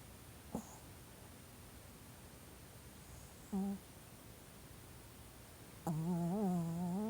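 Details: Old Pomeranian asleep indoors, twitching here and there as if dreaming: a brief nasal whimper midway, then a longer wavering whine near the end, after a soft click, in a quiet room.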